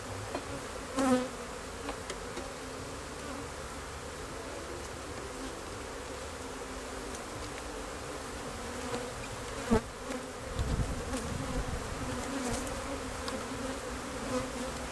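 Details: Honey bees keep up a steady, low-pitched hum; a sharp buzzing burst comes early, another click follows near ten seconds, and a rumbling low swell rises just after.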